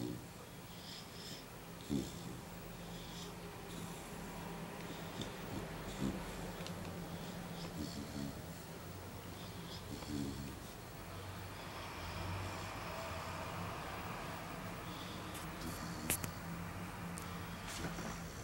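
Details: A sleeping Alaskan Malamute puppy, five months old, snores indoors; low rasping breaths swell roughly every four seconds, with a constant low hum beneath and a sharp click late on.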